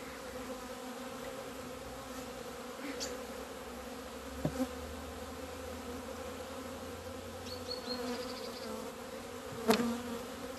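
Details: A colony of honey bees finally flying out into the February sunshine on 17.02.2020 after two months indoors. A continuous low drone holds throughout, broken by a few sharp clicks and one short, thin, higher whine near the end.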